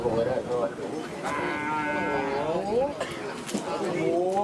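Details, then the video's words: Racing bulls of the Madura karapan sapi tradition running amok during training at the Asemanis track, Pamekasan, East Java, Indonesia: a string of overlapping, wavering, drawn-out moos that bend up and down, with faint voices behind. "Karapan Sapi Mengamuk Saat Latihan"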